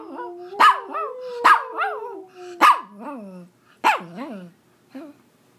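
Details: Pomeranian dog in India, singing with a gliding howl broken by sharp yips and barks, the cries rising and falling in short bursts that fade out.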